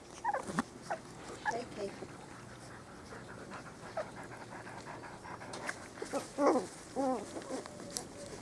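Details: Four-week-old Spanish Water Dog puppies on their first day out in the garden, giving short high whimpers and squeaks in scattered bursts, with a woman's voice and some panting.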